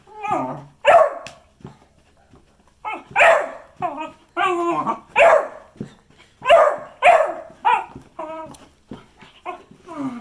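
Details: Beagle giving a rapid run of loud, harmonic barks and short yelping howls in irregular bursts, some rising then falling, with brief quiet gaps between clusters.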